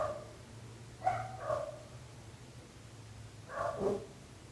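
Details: A neighbour's dog barking: an opening bark, then a close pair of sharp barks, then a longer, falling bark after a pause, over a steady low hum.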